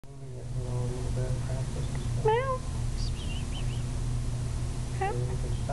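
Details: Pet cat giving two brief rising-falling meows, the first around two seconds in and another near the end, over a steady low hum with faint speech.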